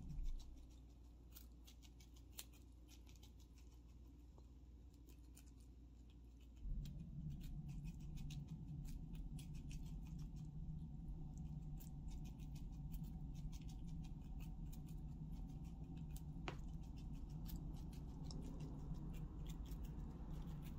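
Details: Girl the squirrel eating raw sweet potato, one of her favorite foods, indoors: quick crisp gnawing clicks and crunches, about three per second, that grow denser after a few seconds over a low steady hum.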